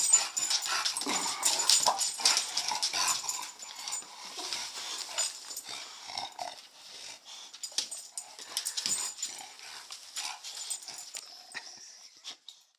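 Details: Winnie and Petey, a pair of English Bulldogs, dash after a laser dot on the floor. Rapid wheezy snuffling and snorting run in dense uneven bursts, about two to three per second, and fade out near the end.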